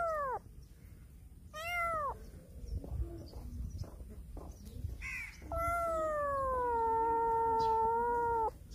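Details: Black cat turning around a person and meowing loudly; two short falling meows, then a long sustained, steady meow lasting about three seconds, with faint handling noises between calls.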